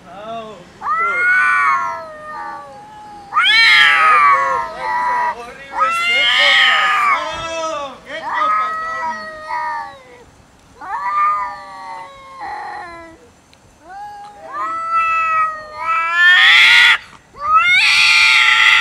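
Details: Domestic cats fighting over food; nearly continuous loud caterwauling, wavering drawn-out howls alternating with harsh rasping screeches, one cat answering another in quick succession.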